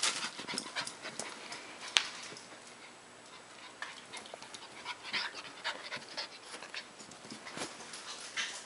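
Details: Border Collie panting indoors, rapid breathy huffs in uneven bursts throughout, with soft hissing noise between breaths and one sharp click near the two-second mark.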